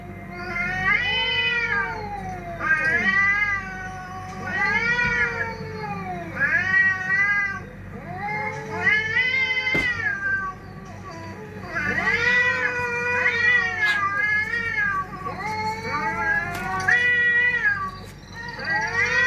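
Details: Cats in a fight, yowling caterwauls: long wavering harmonic wails that rise and fall, repeated in overlapping bouts of about two seconds through the whole recording, with a low steady background hum.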